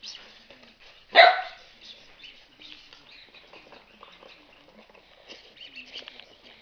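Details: A Golden Retriever puppy in Poland gives one sharp, high bark when told to speak, with quiet human voices around it.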